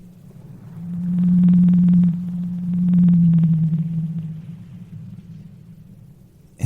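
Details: Blue whale (Balaenoptera musculus) vocalization: a deep, steady, low moan rising and falling slightly over several seconds.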